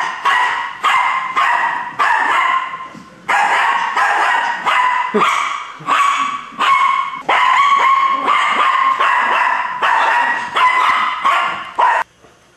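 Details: A pet dog barking at animals on television, loud bursts of rapid yapping barks in clusters, each run lasting about a second with short gaps, nearly continuous over twelve seconds, with no other clear sounds.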